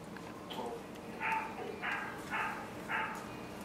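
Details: Mal-Shi puppies aged 10.5 weeks give a run of four short, bright yips about half a second apart, after softer whimpering sounds at the start.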